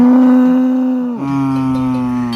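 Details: A cow, cleaned and decorated with flowers and bells in the early morning before the Swiss Alpabzug descent to the valley at Gschwandenmadt in mid-September autumn, gives a long, steady moo that drops in pitch partway through, with deer also calling nearby.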